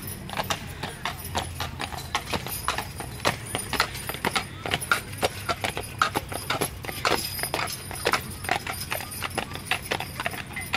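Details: A team of two Percheron horses pulling a newly restored wagon in the Moravia Fair Parade on the evening of 19 July 2014; steady clip-clop of hooves on pavement, several sharp strikes per second, with background crowd noise.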